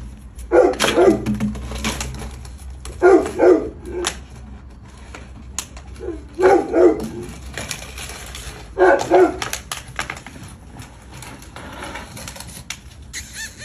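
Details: Adopted American Bully puppy barking indoors in loud grouped bursts of two or three barks, spaced roughly every three seconds, with a low steady hum underneath.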